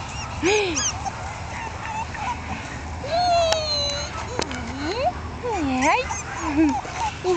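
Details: Female Jack Russell Terrier puppies aged one month whimper again and again, giving arching and bowl-shaped tonal whines, some long and drawn out, some quick, over constant low background hum.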